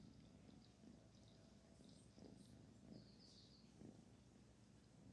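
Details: A kitten named Barfi purrs as she is petted, a low, steady rumbling throb with soft irregular pulses and faint high background noise.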